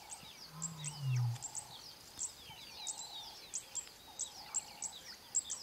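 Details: A very young male lion of the Mbiri pride gives a single deep, short moaning contact call at sunrise near camp, trying to reach the rest of the pride, under busy high morning birdsong.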